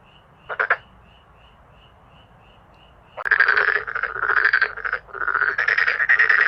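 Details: Male black-spotted pond frogs: one short pulsed croak, a pause with faint rhythmic chirping behind, then a loud, continuous rasping chorus of overlapping croaks surges in and keeps going.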